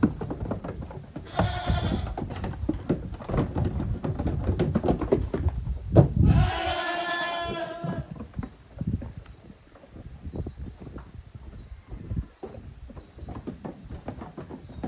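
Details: Goat kids playing boisterously in a farm exercise yard on 30 April 2023: a short bleat and then a longer, vibrating cry, surrounded by constant hoof clatter and bumping that continues after the calls stop.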